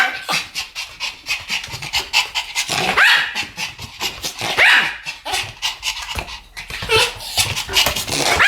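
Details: Two Pomeranians barking in duet, a dense stream of sharp, high yaps overlapping almost continuously, with a few louder rising barks standing out around the middle.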